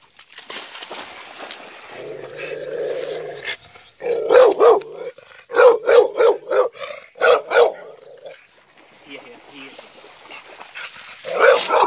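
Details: American Staffordshire Terrier giving a quick run of short, punchy barks in irregular bursts, with human speech around and between them.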